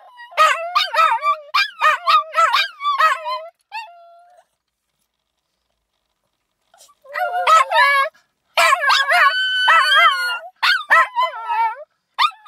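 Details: Little dog Pukki howling wolf-like while brother Flocke shrills in the background; bursts of short, quavering yelping howls in quick succession, a silent gap of about three seconds, then longer wavering howls with overlapping high tones.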